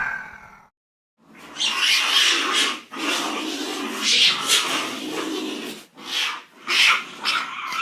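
A cat gives harsh, breathy, hiss-like calls in long bursts separated by brief pauses.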